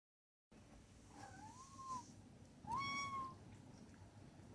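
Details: Domestic cat giving two meows, the first wavering and rising before levelling off, the second a clearer, steady mid-pitched tone with bright overtones, over a low steady room hum.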